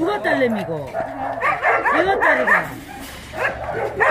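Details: Tosa dog at the Mindeulle abandoned-dog shelter in Yangsan during exercise time, giving a run of short yelping barks and whiny cries that rise and fall quickly, mixed with a man talking throughout.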